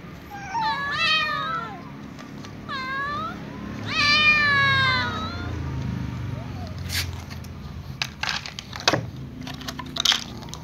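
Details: Night-time ginger kitten asking to be fed among her family: several quick overlapping meows early, then a long downward meow, followed by sharp clicks and knocks with low background rumble.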